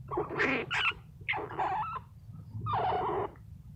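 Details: A sleepy, tired rescue squirrel being petted gives three short, raspy, squeaky bursts over a low background hum.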